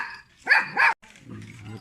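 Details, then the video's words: Small pet dog barking at people, giving two sharp, clipped barks close together, then a low growly rumble and faint human voice. "Little dog barking at people"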